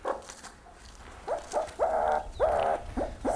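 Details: Meerkat contact calls, a recording played back during a lecture on meerkat communication: a series of short, nasal, downward-bending calls, about six in under two seconds, some stretched into brief buzzy notes, over faint background hiss.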